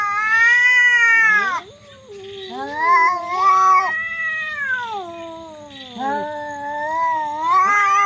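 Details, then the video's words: Loud, weird yowling from cats in a fight: a series of long moaning wails, each sliding up then drooping down, separated by brief dips, the voices overlapping in places. "cats fight very loud and weird sound"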